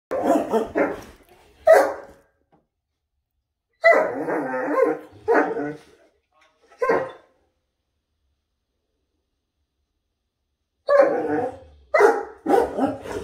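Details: A Great Dane makes deep, throaty groaning and grumbling vocalizations in short bursts during a morning "conversation" with a person.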